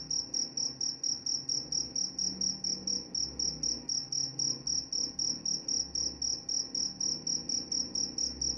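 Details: Crickets calling in a continuous rhythmic series of piercing high chirps, around four each second, steady in loudness throughout, with a soft low rumble beneath.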